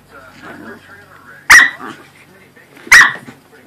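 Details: A Corgi and a Pomeranian are playing. One dog gives two short, sharp, fairly high barks about a second and a half apart, with soft human voices murmuring in the background.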